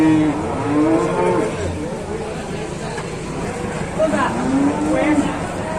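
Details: Young cattle calf giving brief, broken lowing calls, one near the start and another around four to five seconds, partly buried in steady background noise.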